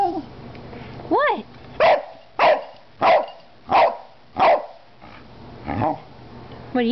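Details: Cardigan Welsh Corgi, an 11-year-old female, sounding off alongside an 8-year-old black and white Cardigan corgi. Starts with a rising-falling yelp, then six crisp barks roughly every 0.65 seconds, a softer bark, and a final whine; people talk quietly.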